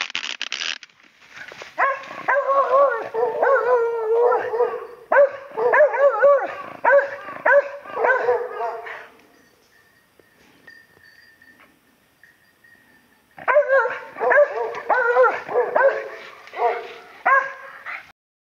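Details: Two dogs at Oyama Pass, Japan, barking at a wild boar hidden in ferns; dense, overlapping barks in fast irregular bursts, a quiet gap with a faint steady whistle-like tone, then barking resumes.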